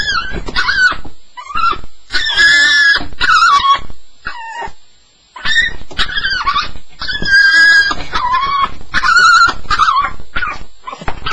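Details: Staffie, a Staffordshire Bull Terrier on its first night, crying out in a nightmare: bursts of high, wavering whines and squeals with bent, rising and falling tones, separated by short silent pauses, indoors.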